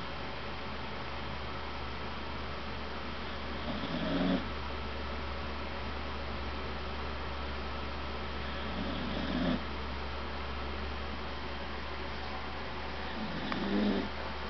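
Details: Marley the cat snoring, slow soft rasping breaths swelling roughly every five seconds over a steady low indoor hum, with a brief murmur of speech at the end.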